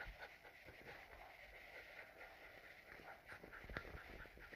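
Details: Cairn Terrier named Skylah, a pet dog in Melbourne, panting heavily and shaking with fear during thunderstorms while cuddling up; steady rapid breathy rasps run throughout at a quick even rhythm with a faint high background hiss.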